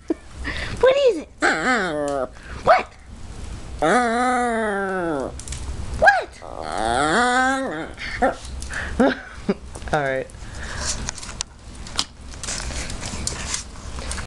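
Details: Maltese dog 'talking': drawn-out, wavering whine-howls that rise and fall in pitch, with a long moaning tone midway and shorter yelps, answered by a person's voice repeatedly asking 'what' and 'tell me'.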